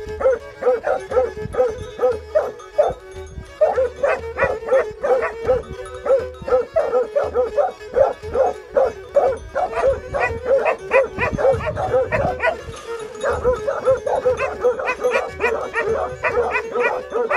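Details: Plott Hound and Serbian Tricolor Hound recorded in Georgiadis, Greece, March 20, 2020: a long bout of persistent barking, two to three barks a second with a brief pause near the start, over a continuous tonal hum.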